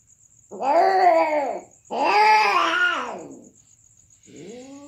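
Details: Cats during mating give two long, loud caterwauling wails, each over a second long, rising then falling in pitch with rich harmonics. A third wail begins as the clip ends. A steady high insect hum sits in the background.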